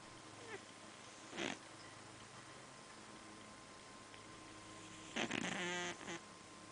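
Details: Fat male house cat snoring while asleep: a short soft snort, then a louder raspy, buzzing snore near the end followed by a brief small snuffle, over a quiet room hum.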